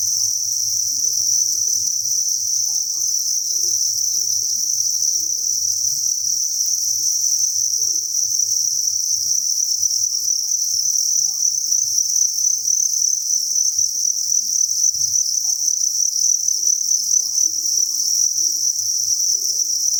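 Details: Crickets massed in a breeding facility at a cricket farm give a continuous, even, high-pitched trilling drone with no pauses, over faint low hum and scattered soft knocks.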